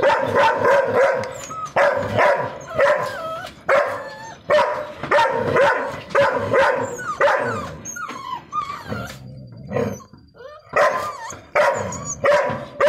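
Deep, rough barks come in quick, steady volleys from a Rottweiler, the sound angry and forceful. Brief high whines and yelps slip in during a short pause before the barking resumes.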